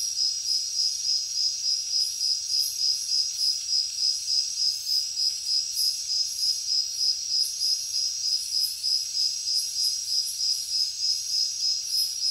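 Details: Steady, regular cricket chirping, a bright pulsed trill repeating over three times a second, sustained against a background of shimmering high insect buzz.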